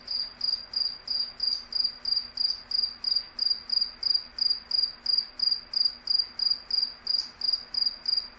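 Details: Cricket. A cricket chirps in a bright, shrill trill of short pulses, repeated evenly about three times a second. A soft low hum lies quietly beneath the calls.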